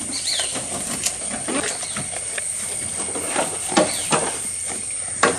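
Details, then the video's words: Goat eating, recorded close up: irregular crunching and snapping clicks scattered throughout, with sharper louder snaps toward the end, over a steady high hiss and a brief faint chirp near the start. "Goat Eating Sound"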